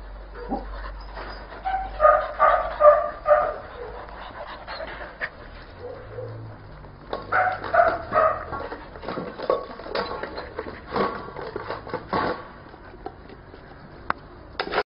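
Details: Pedigreed blue merle Border Collie from a Vietnamese breeding kennel giving two short bursts of rapid barks, mixed with a person talking and scattered clattering noises.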